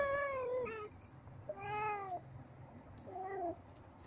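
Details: Young blue-eyed kittens playing together utter three falling meows, each about half a second to a second long and slightly softer than before, with a faint low hum in the background.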